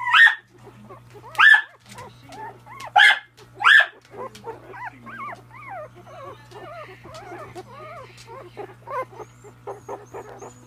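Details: Miniature Dachshund puppies giving several loud sharp yaps at the start, then a long run of soft, wavering high whimpers and squeaks that fade into scattered short cries, with a steady low hum underneath.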